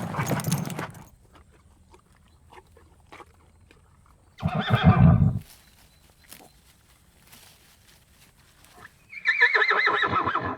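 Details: Horse in a round: two loud, breathy snorts or blows separated by quiet stretches with faint hoof steps, then a harmonic, wavering whinny near the end.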